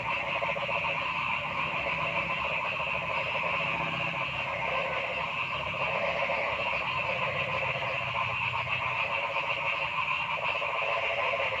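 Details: Noisy forest frog chorus, a dense, steady mass of overlapping pulsed croaks and trills at several pitches, with no breaks and louder bursts now and then.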